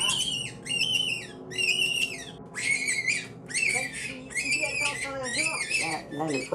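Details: Angora rabbit, front paws tied, screaming while its fur is pulled out: a run of short, high, harmonic squeals that rise and fall, about one a second, with quiet speech and room noise beneath.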